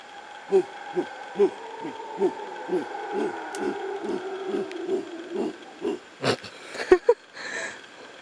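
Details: Wild howler monkeys, heard but unseen and seemingly close, on a forest trail at Lapa Rios on Costa Rica's Osa Peninsula. They give steady deep, hoarse, throaty grunts, about two a second, during one of their periodic outbursts through the day. Sharp knocks and rustling come near the end.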